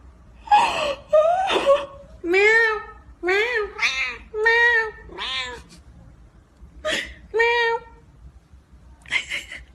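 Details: Cats and kittens meowing: about ten separate meows over ten seconds, clear and harmonic, several rising then falling in pitch, some short and others drawn out, with brief pauses between and a quiet background.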